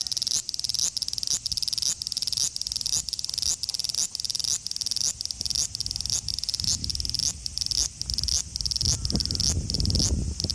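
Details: Male large brown cicada, Osaka city, Japan, 5 August 2019, taped with an Xperia XZ1 smartphone; bright sizzling buzz beating in quick regular pulses, with low rumbling background noise rising toward the end.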